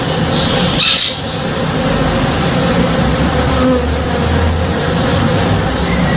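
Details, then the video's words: Honey bees at work in a flowering backyard tree in the morning make a constant low drone; a short knock near the start, then the hum resumes under a few faint high chirps. "Relaxing Sounds - Honey Bees (Real Sound)"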